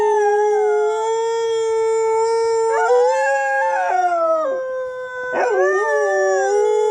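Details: Loud dog howling: a long, steady, tonal wail that holds level, then wavers and bends upward in the middle. A second rising, swooping howl near the end overlaps it, suggesting more than one dog. No other sounds.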